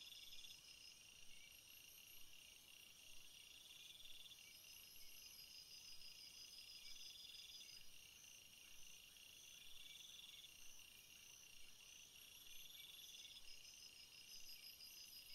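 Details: Crickets calling in a field: steady high insect trilling in stacked bands, broken by short pulsed chirp sequences every few seconds, many individuals overlapping in an even, unbroken natural chorus with low background hiss.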